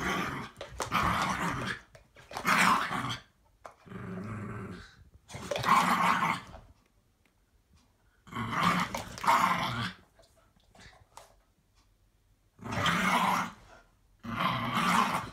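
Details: Playful growls from a 7-year-old Patterjack and an 8-month-old Staffy pup during a tug-of-war game; loud raspy growl bursts of one to two seconds separated by quiet gaps, with occasional snorting breaths.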